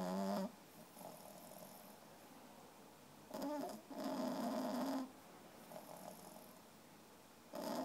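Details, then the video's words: Three-month-old female French Bulldog puppy asleep and snoring, tired after a day of play; soft rasping snores carrying a low hum, in bursts a few seconds apart over steady background hiss. "3 months old French Bull Dog Puppy Snoring"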